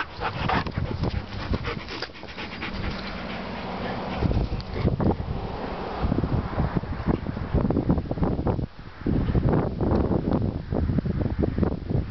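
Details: Gunner Blue, a young dog about to turn one year old, pants heavily during a quick game of fetch: rough, breathy bursts in an uneven rhythm, with scuffling noise throughout.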